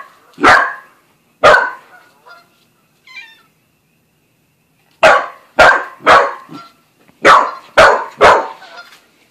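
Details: Buzz, a young Australian Shepherd and Corgi mix new to the family, barks while meeting Bread Bandit the cat: loud, sharp barks, two early ones then a pause, then a burst of six quick barks near the end.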